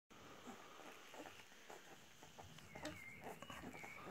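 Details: Saint Bernard named Astrid nursing her 8-day-old puppies; brief thin, high squeaks from the pups rise near the end, over steady soft clicking and wet suckling noises and faint rustling.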